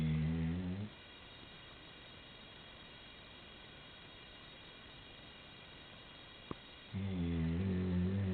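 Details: Chocolate Labrador Retriever Maddy, a 90-pound female, sleeps at the end of the bed and snores, caught from pillow level: a low rumbling snore fades out, about six quiet seconds pass, then another deep droning snore begins.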